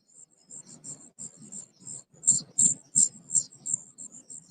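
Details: A cricket giving its mating call outdoors in October near Dayton, Ohio: rapid, high, thin chirps repeated about three times a second, some pulses louder, over a low background murmur.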